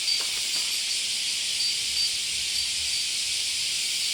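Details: Indoor recording of cicadas singing at their summer peak on 31 July 2014: an unbroken high-pitched sizzling wash of sound, steady and loud, with a few faint clicks early on.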